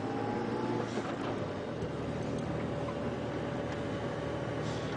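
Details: A steady low engine rumble from a moving vehicle, with no animal calls heard.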